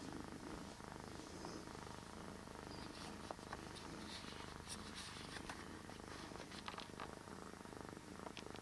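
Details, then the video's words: Cat named Bear purring very deeply, a continuous low rumble with steady pulsing throughout, the loudness holding even the whole time, with faint scattered clicks and rustles above. "Bear deepest purring cat ever"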